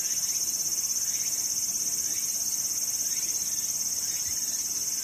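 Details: Summer cicada chorus at Sakurazawa in Yorii town, Saitama, Japan, with mountains and clear sky: an unbroken shrill hiss pulsing rapidly and evenly throughout, with faint soft chirps underneath.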